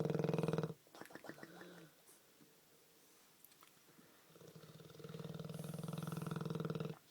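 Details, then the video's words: Olde English Bulldogge snoring in a humanlike way: deep, droning rattle at the start, a brief quieter gap with faint rustling, then a long steady vibrating snore that stops abruptly. "Olde English Bulldog Snores like a Man"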